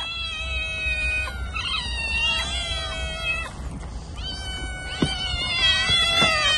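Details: Domestic cat meowing: long, drawn-out, wavering meows that run almost continuously, with a short dip in the middle, over a low steady hum.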